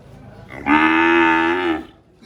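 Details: A single steady, loud cow moo lasting just over a second, richly harmonic and even in pitch, with a soft lead-in and quiet fade at the end.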